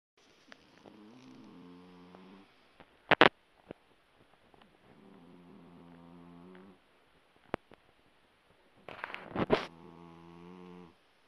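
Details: Sleeping Persian cat snoring like a person, indoors, with three slow, low, nasal rumbling breaths each lasting about two to three seconds, separated by pauses and a few sharp clicks or knocks.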